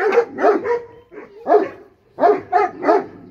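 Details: Bully Kutta dogs in a fight, giving gruff barks and growling snarls in clustered bursts with short pauses between volleys.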